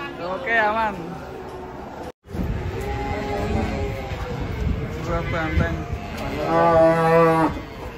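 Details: Big, fat cattle being unloaded down from a truck; a sustained harmonic moo swells late in the clip, after earlier voices, with steady low rumbling background noise throughout.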